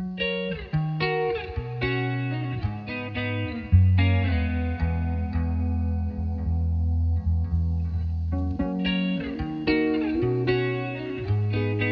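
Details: Distorted electric guitar music with a heavy bass line runs throughout, and no animal sounds are present.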